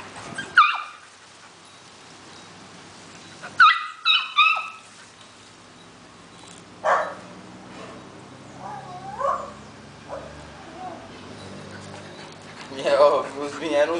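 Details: Two dogs, Teco and Biggie, meeting each other: a sharp high yip near the start, then a quick cluster of three barking yips around four seconds, softer scattered vocal sounds in the middle, and a final harmonic burst near the end.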